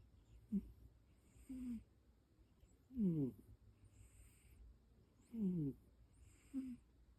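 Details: A cat that snores hard: rhythmic paired breaths, a raspy rattling snore on the inhale followed by a softer airy hiss, repeating roughly every two and a half seconds in a quiet indoor setting.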